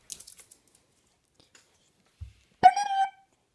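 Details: Oscar, a fluffy puppy, answers a funny noise with one short, nasal whining cry near the end, after soft rustling and handling sounds in a small room.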